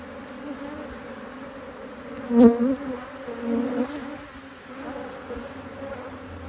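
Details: Busy honey bees at an opened Hive IQ beehive in Australia during fine mid-Autumn 2023 weather, as a box of empty frames is added. A steady humming drone, with one close bee flying past loudly and a soft swell afterwards.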